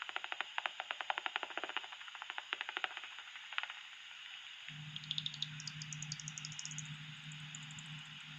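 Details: Common pipistrelle echolocation calls through a bat detector, heard at a church roost in the UK: a fast run of dry, snapping clicks, as heard when the detector is tuned above the peak frequency of about 45–46 kHz.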